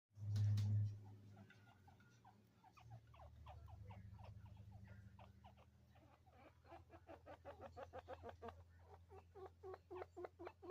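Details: Two chinchillas, a father and son kept as pets, communicating indoors: a low hum followed by rapid clicking chatter that speeds into regular pulsed bursts, with a short loud thump at the start.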